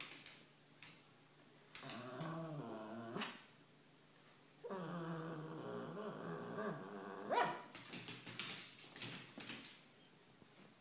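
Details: Pika, an 18-month-old female Cavalier King Charles Spaniel, vocalizing because she wants to play: two long, wavering, moaning grumbles with rising and falling pitch, then short noisy bursts. Russian speech is heard before and after.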